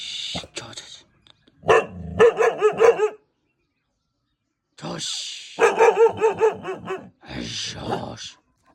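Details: A 5-month-old Bhotia dog gives quick runs of sharp, mid-pitched barks in two bursts.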